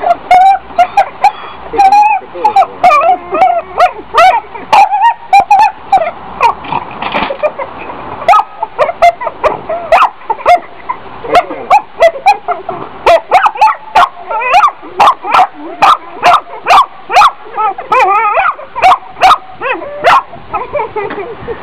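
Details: Dog vocalising in a mix of whining, yelping calls and short sharp barks, uneven bursts throughout, denser rapid barking in the second half; a human voice heard at times alongside.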